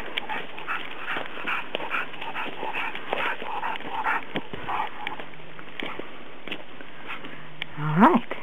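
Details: A working Cocker Spaniel pants while helping climb a hill, with quick breathy bursts repeating about twice a second under steady wind and footstep noise, and a person's voice briefly at the end.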